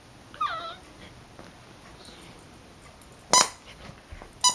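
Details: Eight-week-old female Siberian Husky puppy indoors, whining in frustration while attacking an orange squeaky toy she cannot pop; one short high, wavering whine early on, then a sharp squeak of the toy and a later brief clatter.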